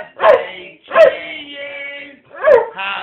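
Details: A Rottweiler x Staffordshire Bull Terrier dog howls along in drawn-out, wavering tones while the family sings Happy Birthday.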